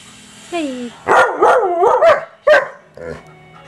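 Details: German Shepherd going after a vacuum cleaner at home: a short high whine, then a burst of wavering, yowling barks, one sharp bark and a final softer woof, with a steady machine hum underneath.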